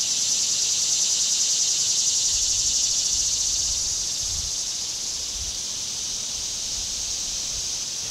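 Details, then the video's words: Summer cicada chorus, a dense steady hiss high in pitch, gently pulsing and slowly fading a little after the first few seconds; faint low rumbles underneath. "Cicada Summer"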